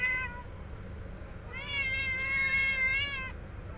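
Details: Hungry kittens around their food: a short high meow opens, then one long, drawn-out wavering cry lasting nearly two seconds, steady in pitch with a slight tremble, over low background hum.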